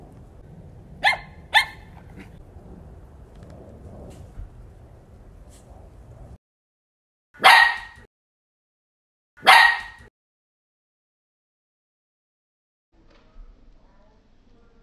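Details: Young Shetland Sheepdog, a female, barking indoors. Two quick sharp barks come first over a low background hum. After a silence, two louder, sharper single barks follow about two seconds apart. A person speaks softly just before and after.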